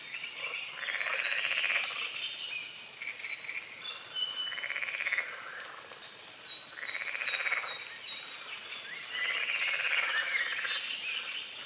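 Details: Frogs croaking at sunrise on a small lake at a forest's edge; trilled, pulsing croaks come in rhythmic waves about every two seconds, mixed with thin whistled bird notes.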